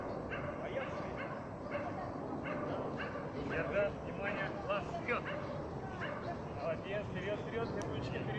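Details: A female German Shepherd at a dog training centre gives short yipping barks and wavering whines, with a person talking throughout.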